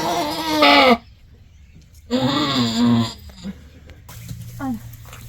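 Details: Goat at the moment her kid is born, giving two wavering, harmonic bleats about a second apart, followed by a softer short call and low human voices.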